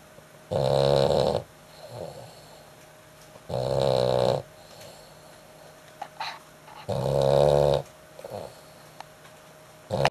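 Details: Dog snoring very loudly indoors: three long, harsh, rasping snores, each lasting about a second and spaced roughly three seconds apart, with quiet breathing pauses between them.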